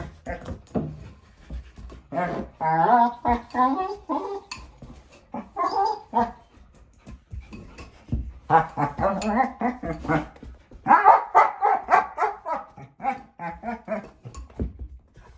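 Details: Female German Shepherd puppy, four months old, playing with her bowl and making funny noises: bursts of harmonic whiny grumbling and yips in irregular runs, with clicks and knocks of the bowl in a small room.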